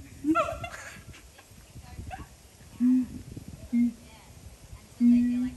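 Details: Caged siamang at Dubbo Zoo giving three short, flat hoots, the last held longest, spaced about a second apart, with people talking over the opening moments.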